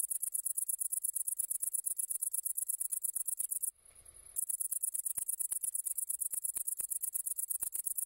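A great green bush-cricket sings a high, shrill, rapidly ticking buzz that pauses briefly.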